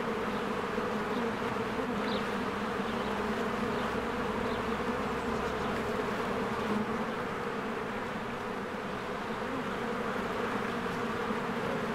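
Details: Honeybees swarming in and out of their hive in spring, flowers blooming; a dense, steady low buzz from many wings with a strong hum band throughout and occasional faint high chirps of birds.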